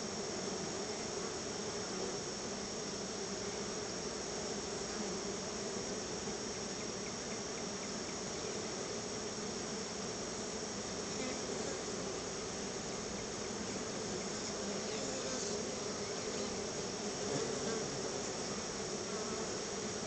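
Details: Many honey bees swarm around their hive while being fed a treat of store-bought honey, giving a steady, dense droning hum with low harmonic bands held unbroken for twenty seconds, plus a faint high, even insect-like hiss above.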